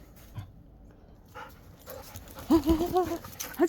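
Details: Jindo mix dog indoors giving a burst of short, rapid whining yelps at the end, following scuffling sounds and a person scolding it.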